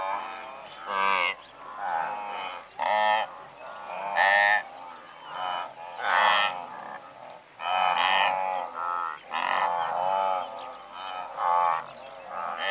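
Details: A massed herd of several hundred blue wildebeest recorded medium close, giving continuous overlapping honks and nasal grunts. Loud bursts pulse steadily about twice a second while fainter callers keep a constant background murmur.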